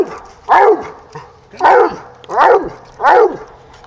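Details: Female hound dog, sixteen months old, barking at a treed raccoon outdoors: four strong, rich, downward-sliding bawls spaced roughly a second apart, with quiet gaps between them.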